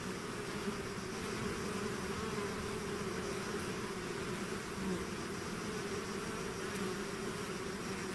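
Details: Swarm of bees emerging from its hive, a continuous layered drone of countless wingbeats, even in volume, with a faint high steady tone above the hum.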